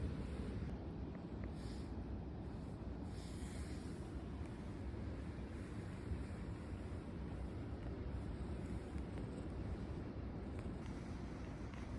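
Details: Steady low rumble of wind buffeting the microphone, like surf or a passing vehicle, with no animal calls heard throughout.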